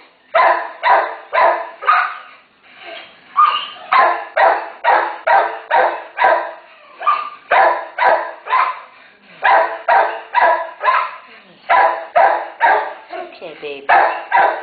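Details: Terrier mother with her 1-day-old puppies, a family said to need rescue; sharp, harsh barks repeat about twice a second in steady runs, with a few brief pauses between bursts.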